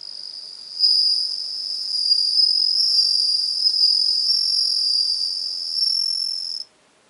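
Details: Bell cricket recorded 17 September 2021, giving a sustained high, bell-like ringing trill for about six seconds, slightly pulsing in strength, before cutting off into silence.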